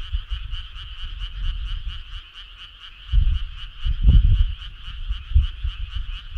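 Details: Frog choir on a summer night along a country road: a steady, dense trilling chorus of many frogs, pulsing rapidly and unbroken, with low rumbling thumps beneath around the fourth second.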